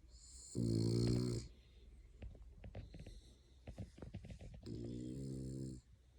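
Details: Dog dozing on a person's lap gives two long, buzzing snores a second or so each, low and nasal with breathy hiss, with small clicks and soft breathing noises in the pause between.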